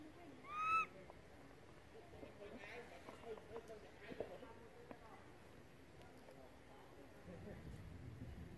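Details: ['Baby monkey calling for its mother, who has gone far away: one short, bright, arching cry at the start, then soft background rustling and faint distant noises.']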